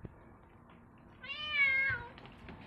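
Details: New kitten in a home, crying impatiently while watching the other cats eat: one drawn-out, high, slightly wavering meow of about a second over quiet room noise.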